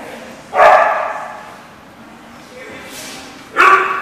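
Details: Dog barking at The Barking Lot, recorded 17 November 2014: two short, sharp barks about three seconds apart, with quiet background between them.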